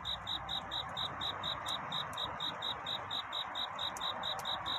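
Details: Cricket singing at night in courtship, a song seeking love: a steady string of short, high, pure chirps about four per second, evenly spaced throughout, over a soft hiss of background noise.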